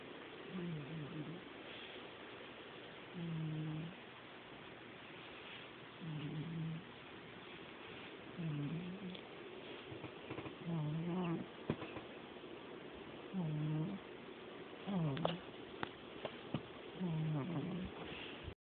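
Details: Sleeping domestic cat snoring, a steady series of low throaty rasps spaced a few seconds apart, growing slightly less regular toward the end, over faint indoor background noise.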